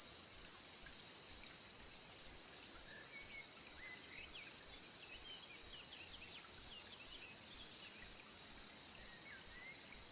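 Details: A male cricket seeking to mate sings a steady, high, ringing trill by rubbing its wing cases together, while a female appears interested.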